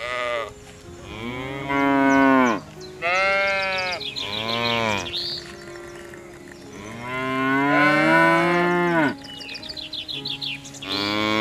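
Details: Cows mooing on a farm: a series of drawn-out moos follow one another closely, some deep and some higher and strained, rising and falling in pitch, with a few brief overlapping calls.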